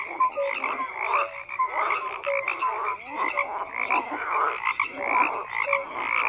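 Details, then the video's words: Frogs calling in a crowded chorus: raspy pulsed croaks layered with short whistled tones that return roughly once a second, no other noise. "FROGS CROAKING"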